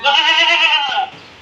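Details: Castrated male goat, about 14 to 15 months old, on a farm in Maharashtra, India, sold ahead of Bakri Eid; one loud harmonic bleat lasting about a second, wavering slightly, then fading into quiet background.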